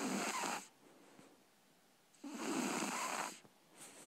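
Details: Libby, a three-month-old Shar Pei puppy, snores in her sleep: two long, breathy, broadband snores about 1.7 seconds apart, the second longer and rougher, with quiet breathing between.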